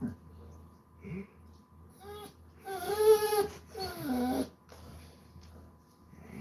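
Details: Basset Hound relaxing indoors on a Sunday, letting out a loud drawn-out whining moan with rich harmonics that wavers and then slides downward, preceded by a couple of short soft whimpers, all over a quiet low room hum.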